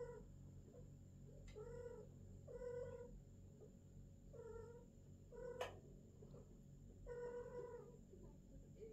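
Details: Female British longhair cat during first mating, with short harmonic moaning yowls spaced a second or more apart, a few sharp clicks and knocks between them, and constant low room hum beneath.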